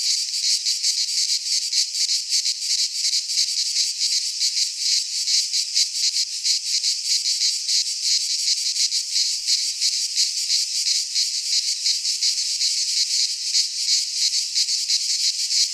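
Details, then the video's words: Sustained high-pitched buzzing of many cicadas in a Greek pine forest during midsummer, rhythmic rapid pulsing holding steady for the whole stretch. "Cicadas singing in midsummer - Nature sounds from the Greek fauna - Sounds of cicadas"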